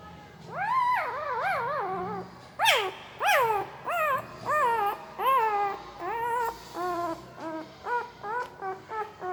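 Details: Puppy making strange mouth noises while asleep: a series of wavering, yelping whimpers that start long and drawn out, then become shorter and quicker, nearly two per second by the end.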